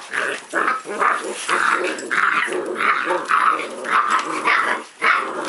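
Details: Puppy at play giving a steady run of throaty growls, roughly two per second, each burst rough and harmonic, with a faint voice underneath.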